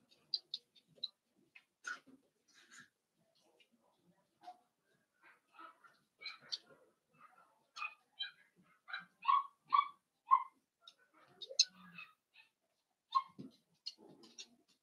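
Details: A litter of five blenheim Cavalier King Charles Spaniel puppies, born around New Year's to Paris and Spike, in their home puppy pen, giving high thin squeaks and whimpers, scattered then clustered into a quick run of rising yelps, with soft snuffles.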